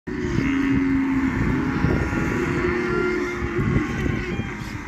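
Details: Cattle lowing in the countryside, with long low mooing tones and several overlapping calls under a steady rumbling background that sounds like an engine.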